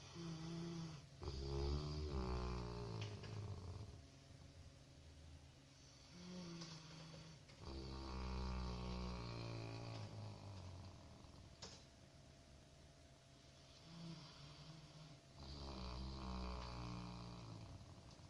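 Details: Sleeping Labrador Retriever puppy snoring indoors: deep, rumbling snores with buzzy harmonics, each drawn-out breath lasting about two seconds and repeating in a slow, steady rhythm.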